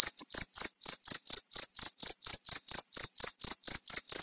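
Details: Loud, close cricket chirping: crisp, high, trilled pulses repeated at about four or five a second in a steady rhythm, with nothing else audible.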